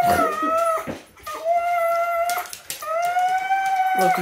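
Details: Siberian Husky whining and crying indoors, upset at not being allowed to go with someone who was leaving: drawn-out tonal whines about a second long, each slightly rising then falling, separated by short breaths.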